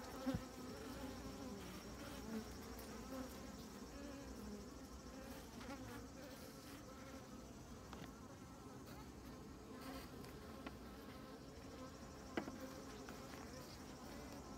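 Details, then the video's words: Many honey bees working over honeycomb and honey, a steady droning hum with wavering harmonic bands throughout, a few faint clicks and knocks. "Juste des abeilles et du miel en rayon"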